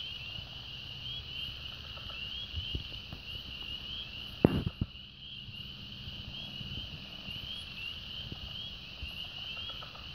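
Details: A dense chorus of many frogs in a branch (stream), recorded 2/4/16, keeps up an unbroken, high, slightly wavering trill, broken once by a dull knock over faint low rumble.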